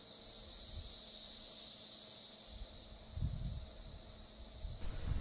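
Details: Male Cassin's 17-year periodical cicadas (Magicicada cassini) chorus in a Kansas forest in 2015 to attract females. Each calls about every five seconds, so their dense, high buzzing swells and fades in steady waves, or sound cycles.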